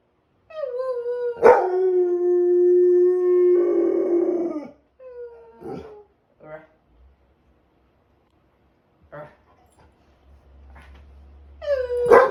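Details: Pet dog howling along with its owner during Tropical Storm Debby; a long steady howl held for about four seconds, then shorter broken howls and gaps, ending with a rising cry.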